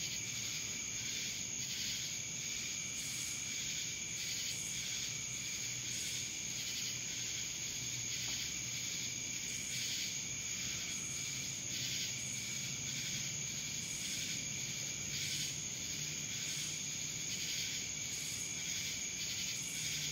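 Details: Chorus of cicadas from Dallas, Georgia, a continuous piercing whine overlaid with rhythmic pulsing surges at roughly one-second intervals, and faint low rumble underneath.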